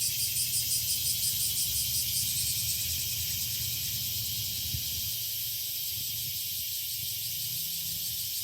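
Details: Cicadas droning in a park on a summer afternoon, a continuous shrill high-pitched buzz with regular pulsing, accompanied by a low hum of distant traffic.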